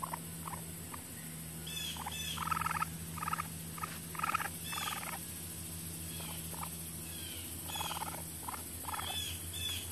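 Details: Baby raccoon at a wildlife rescue and rehabilitation centre in central Mississippi, chattering in short, harsh, buzzy bursts that come in uneven clusters, separated by faint squeaks, over a steady low mechanical hum.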